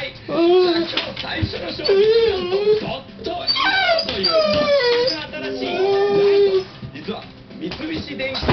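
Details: Pet dog COCO paces back and forth indoors, voicing dissatisfied whimpers as the Japanet shopping broadcast plays without its president; several wavering, nasal whines rise and fall, overlapping continuous TV talk and faint music.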